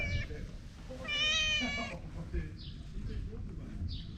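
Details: Vocal stray cat producing a brief meow at the start, then a louder, strained meow lasting nearly a second, followed by faint short squeaks, with low background rumble throughout.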